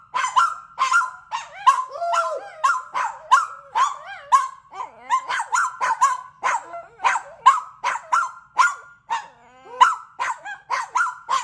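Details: Barking contest between dogs, including a rescue dog: fast, continuous volleys of sharp yappy barks mixed with wavering yelps, a brief lull near the middle, then barking resumes at the same rapid pace.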